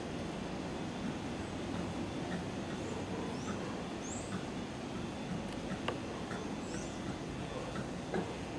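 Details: Howler monkeys in a backyard in Brazil give a deep, continuous roaring chorus that fills the low range without pause, with faint bird chirps and a sharp click above.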